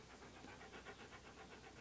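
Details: Panting Siberian Husky called Key, posing for photographs in clothing; brief run of regular breathy pulses, faint against a hissy background.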